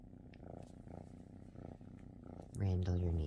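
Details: Pet cat purring: a low, even rumble pulsing roughly twice a second, then cut off after two and a half seconds by a louder, strongly tonal voiced sound close to the microphone.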